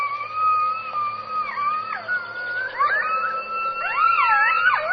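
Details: Coyote howling: long, sustained wavering tones with sliding pitch, several voices overlapping and swooping up and down toward the end.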